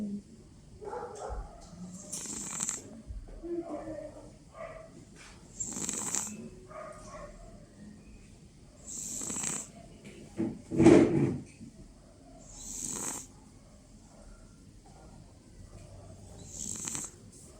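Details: A sleeping cat snoring: airy, hissing breaths repeat roughly every three to four seconds, each with a soft rasp, and one louder, deeper snort stands out midway through.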